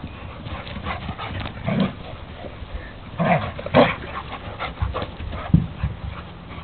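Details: A dog at a first meeting, identified only as Hogan meets Miles, gives a few short, harsh yelping barks, the loudest near the middle, over steady rustling and handling noise with low thumps.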